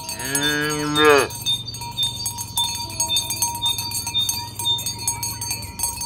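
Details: One short, rich moo opens the recording as tame village cows are herded to the pen in the morning, followed by a low continuous hum and scattered metallic cowbell clinks.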